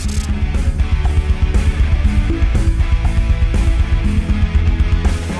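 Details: Loud rock music with heavy bass and a steady beat fills the recording, with no animal sound heard.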